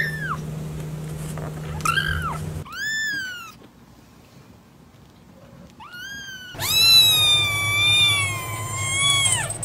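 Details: Kitten meowing in a series of high, arching mews, some short and rising, the last one long and drawn out, with a steady low hum underneath.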